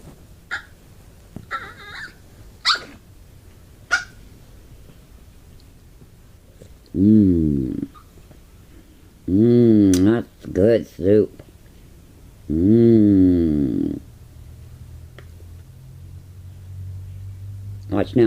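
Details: Female Pomeranian indoors begging for soup: after a few faint clicks, three bouts of loud, wavering, warbling whines, rising and falling in pitch with a squeaky, dolphin-like quality, the longest lasting about a second and a half.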